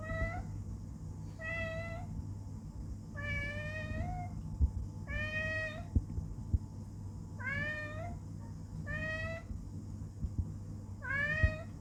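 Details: Talkative male house cat repeatedly meowing to ask to be held up to look out the window; seven clear, drawn-out meows spaced a second or two apart, some rising and some falling, with a constant low household hum.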